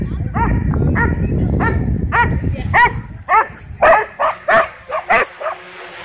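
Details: Dogs at a dog park excitedly chasing a drone, barking in quick repeated harmonic barks about twice a second, the later barks sharper and separated by short gaps, with low rumbling noise underneath early on.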